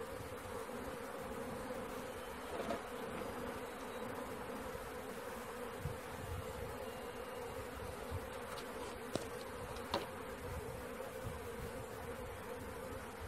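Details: Honey bee swarm being caught, a dense steady hum of many bees with a constant drone around the mid range, a few brief clicks and knocks near three, nine and ten seconds.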